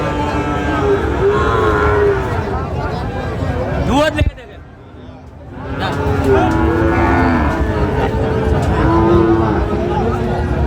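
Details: Sahiwal bull calves at a cattle market in Tangail, Bangladesh, on 16 October, as a farmer buys: drawn-out, tonal moos rise over steady crowd chatter and talking, with a brief hush midway before the market noise returns.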